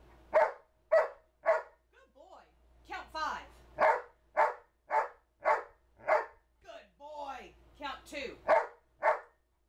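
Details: Counting barks from a two-year-old male Old English Sheepdog taught to 'talk' and count to six. Groups of crisp, evenly spaced single barks answer spoken number commands, with a person's voice saying 'good boy' between the sets.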